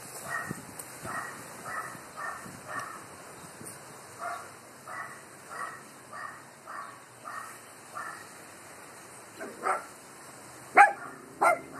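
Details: Dogs barking at the wind, a distant dog yapping in a steady run of about a dozen muffled barks, then three louder nearer barks at the end, over constant windy hiss.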